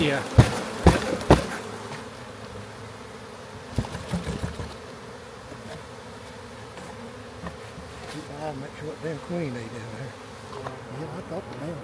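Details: Massive honey bee swarm found in a backyard being captured and moved into a hive: a steady low droning hum with a wavering tone, broken by sharp knocks and clatter early on, and men talking in the background.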